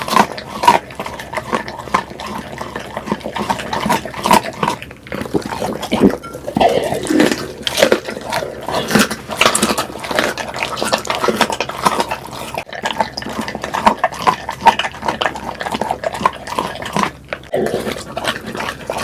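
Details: Pit bull eating, recorded up close for ASMR: dense wet chewing and smacking with grunting, snuffling bursts throughout, brief pauses between mouthfuls, no other clear sounds.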